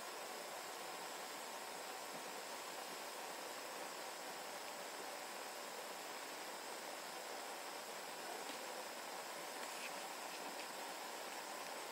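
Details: Steady broadband hiss with a faint constant hum runs throughout, and no animal calls are heard.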